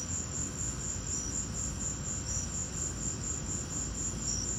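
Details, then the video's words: During a lightning storm, crickets keep up a shrill, rapidly pulsing trill with a few lower-pitched chirps mixed in, heard above a steady deep background roar. "Lightning and crickets!"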